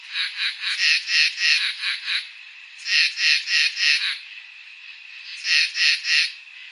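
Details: Crickets on a summer night: high, rasping pulsed chirps in three bursts of about six to eight quick pulses each, separated by brief quieter gaps with a faint steady background hum.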